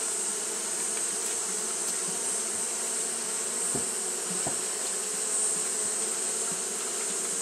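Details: Steady low hum of Japanese honey bees fanning through a hot day, the drone holding even and continuous, with a few faint ticks and a bright, constant high hiss above.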